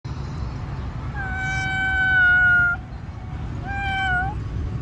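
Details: Stray street cat being petted gives two meows: a long, steady, clear meow of about a second and a half, then a shorter one that rises and falls. A low rumble of traffic continues underneath.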